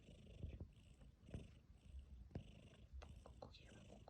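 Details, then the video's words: Sleeping tabby cat purring and snoring; deep low rumbling in pulsing breaths, with a few clicks and a brief spoken word nearby. "Purring and snoring"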